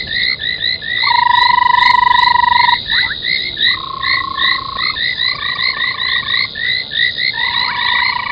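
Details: Frogs gathered at a foam nest by a South African game-reserve waterhole before dawn, January 2021. Short rising chirps overlap rapidly, mixed with long flat humming notes that start and stop.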